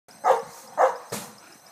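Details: Two muzzled Boerboels barking while stopping an intruder: two short, deep, forceful barks about half a second apart, followed by a sharp thud.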